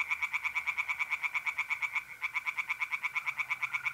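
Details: Tree frogs singing in a pond on an April night in north-east Italy, a fast regular series of sharp croaks about four per second, with mole crickets trilling steadily beneath.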